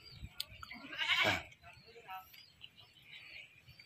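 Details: One wavering bleat from a captured goat, later slaughtered, rising out of rustling and handling noise, with faint background voices.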